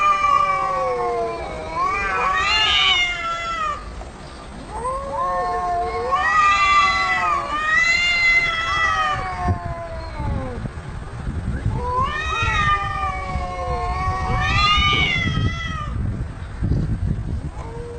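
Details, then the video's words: Domestic cat calling back at funny sounds being played: a run of wavering meows that rise and then fall, repeated every couple of seconds, over a low rumbling background noise. "Cats talking 😂😂 Playing funny Sounds"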